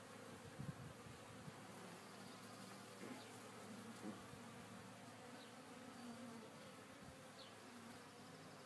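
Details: Hive of honey bees in a Warre box, day two after installation, calm and busy clearing dead bees from re-used comb; continuous low humming drone with a few faint passing buzzes of individual bees.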